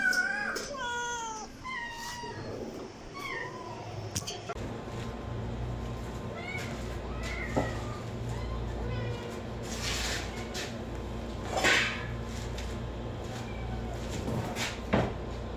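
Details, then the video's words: Several short, bright meows from a cat crowd the first four seconds, then give way to low rumbling noise, clicks and scattered knocks. "5 kitten and cats meowing sound effect compilation| cat meowing to attract cats"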